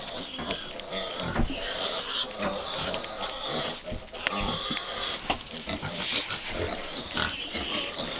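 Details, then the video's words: Five-week-old American Guinea Hog piglets on a family farm, a busy mix of grunts, squeals and snorts throughout, with rustling and a person speaking. "Tiny Guinea Hog Piglets"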